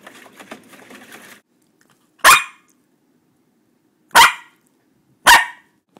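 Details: One-year-old Schipperke named Sienna, kept as a pet alongside a Pomeranian, gives three sharp, short single barks spaced one to two seconds apart after a brief patch of soft rustling; otherwise quiet indoors.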